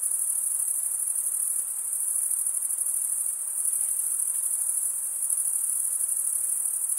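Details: Stridulating crickets, chirping by scraping one wing along a comb-like toothed vein on the other; an even, piercing high-pitched ringing with quick pulsations, uninterrupted and alone.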